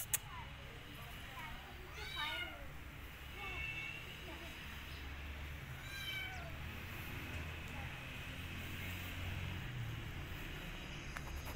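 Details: Rescued kittens sheltering in a jacket let out two clear rising-and-falling meows a few seconds apart, with low background rumble and rustling.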